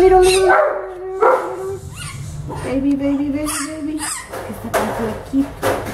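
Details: Orphaned baby howler monkey Milette at the veterinarian, objecting to her vet care: whiny, tonal cries, some held and some briefly rising, broken up by people speaking softly in Spanish and English and by background music.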